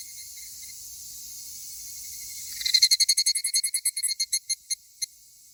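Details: Two higurashi males, a possible quarrel between them; after a steady shrill insect drone, a loud train of bright ringing pulses erupts, then slows and thins out over about two seconds until single notes remain.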